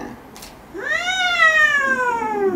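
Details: Talkative pet cat Luna, having long claws trimmed indoors, produces one extended meow that swoops upward, holds, then slowly falls over nearly two seconds, after a faint tap at the start.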